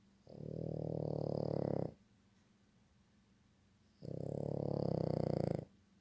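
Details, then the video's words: Dog snoring in its sleep, two drawn-out coarse rumbling breaths of nearly two seconds each with a quiet two-second gap between, low and steady with a slight whistling edge. "dog snoring"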